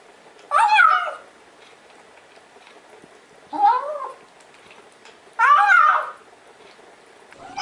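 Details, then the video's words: A cat making sounds while eating gives three loud, clear meows, each bending up and then down, spaced about two to three seconds apart, in a quiet small room. "Cats saying "Nom Nom Nom" while eating compilation"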